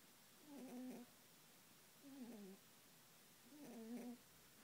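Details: Pet rabbit snoring while asleep: three soft, low, slightly wavering snore sounds, each about half a second long and spaced roughly a second and a half apart, in a quiet room.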